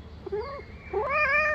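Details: A domestic cat gives two drawn-out meows, the first short and the second longer and louder, with a wavering, complaining tone, apparently talking back angrily after being scolded for going out.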